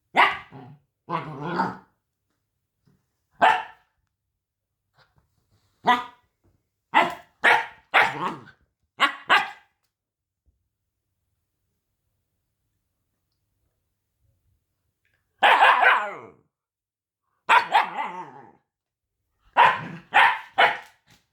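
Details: A small puppy with a very high, ear-piercing voice barks in sharp clusters of two to four yaps. A long silent pause in the middle separates the bursts, and the later barks come in quick doubled pairs. No other sounds are present.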